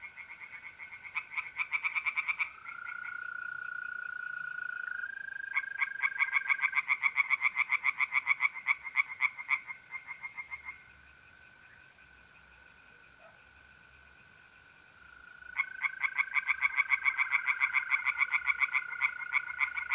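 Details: Tree frogs singing by night in a pond in north-east Italy in mid-April: bursts of rapid, evenly pulsed croaks that start and stop, broken by a quiet gap, over a steady trilling tone of mole crickets.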